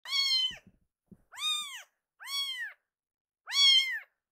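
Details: Rescued baby kitten crying loudly indoors, before calming when held and kneading with its feet: four clear arched meows, each about half a second long, rising then falling, spaced roughly a second apart.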